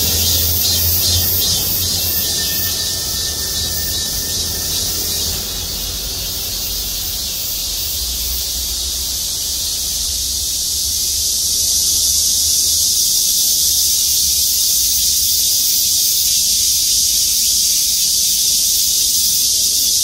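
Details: Chorusing cicadas perched in parking-lot trees at Gwangmyeong City Hall: an intense high buzz that eases somewhat after five seconds, then swells louder again from about eleven seconds, with a brief thin tone early on.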